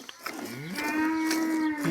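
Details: Village cow giving a steady, drawn-out moo of about a second that holds an even pitch and dips slightly at the end, over faint background rustling.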